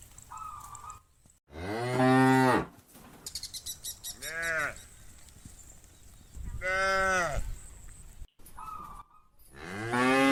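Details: Farm cow calling a friend to come home: several deep drawn-out moos of varied length, one short higher call, with brief clicking noises and a faint steady hum between calls.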